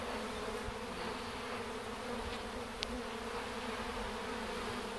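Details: Swarming bees streaming into a box to reach their queen while others fan their wings to spread her scent; a steady, even droning buzz, with one brief sharp click midway.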